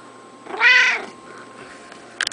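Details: Pet cat meowing as it is petted: one strong, drawn-out harmonic meow arching up then down, followed by quiet room noise and a brief burst of clicking or rustling at the end.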